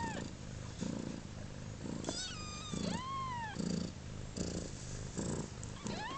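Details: Kittens of a cat named Pluma, just over 30 hours old on their second day of life. Low purring pulses throb about every second beneath two clear mews: a long, high, arching cry in the middle and a rising one at the end.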